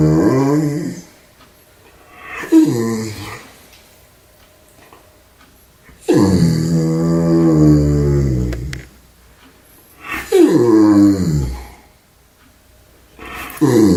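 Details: Chowder the German Shepherd purring indoors: four drawn-out, voiced, moaning grumbles with rich overtones. The longest lasts almost three seconds in the middle. Each is separated by a near-silent gap of a couple of seconds.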